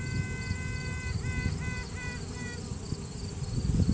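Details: Virgin honey bee queen sounding off within the hive to assert her dominance, captured by phone during a hive inspection. A sustained trumpeting note gives way to four short, clipped toots in quick succession, set against the dense buzzing of the colony.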